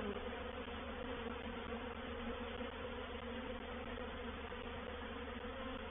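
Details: Many honey bees of a reproductive swarm settle into a bait hive at Painted Peacock Manor on 04/07/21, giving a thick, unwavering buzz with strong low humming tones from start to finish.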